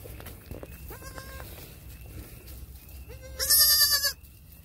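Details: Newborn triplet goat kids, about six hours old, born 1/6/2021, taking first steps and giving baby bleats: short harmonic bleats near one second, then a louder, higher, wavering bleat near the end over low rumbling background.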